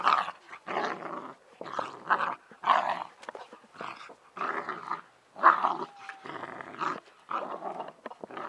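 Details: Bernese Mountain Dog puppies Ylvi and Yella, two sisters, tussling in a garden; loud, gravelly growls come in steady rough bursts, roughly one every second or so, with short silent gaps between them.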